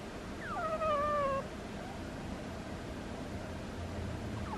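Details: Pet cat Butters snoring in its sleep with a squeaky, whiny note that starts high, falls and then holds level for about a second, followed by quiet breathing and the start of another squeak.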